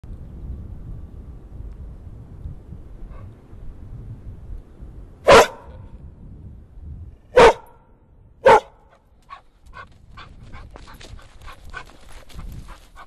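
Three sharp, explosive barks from a bear break a quiet background, spaced about two seconds and then one second apart. Soft ticking and clicking sounds follow near the end.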